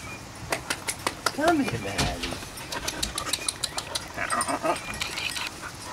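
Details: Puppy at playtime gives one short arching whine, rising then falling, amid a rapid run of tapping clicks, while a person calls and coaxes it to come over.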